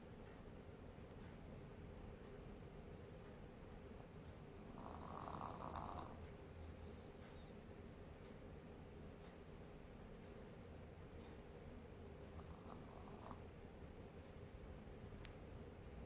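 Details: A sleeping Maltese dog snoring softly indoors: quiet, steady low rasping breaths repeated in an even rhythm, with a brief brighter rustle near five seconds and again near thirteen seconds over faint background hiss.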